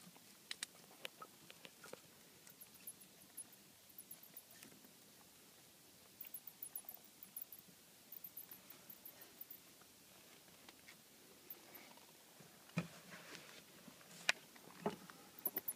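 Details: Bats roosting in a house attic, heard during an inspection for noise: very high, thin chirping squeaks in short rapid bursts that recur through the recording, over scattered scratching, tapping and clicking sounds in a quiet room.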